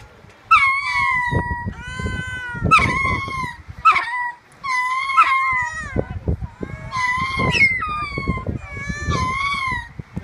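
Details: Captive male ring-tailed lemurs at Tanganyika Wildlife Park call toward females with babies housed off exhibit. Rich, wavering howled cries with a steady tone come about every second or two, roughly eight in all, some overlapping, over low background thumps.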